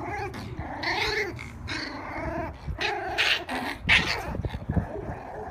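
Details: A Shiba Inu dog gives low, rumbling growls mixed with harmonic whining grumbles, rising and falling in short bursts over several seconds, with no other clear sounds.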